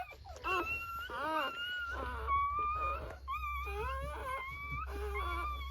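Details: Newborn Rottweiler puppies at birth during a natural whelping, giving high, wavering whines and squeals that overlap, some sliding upward and others arching, over a steady low hum.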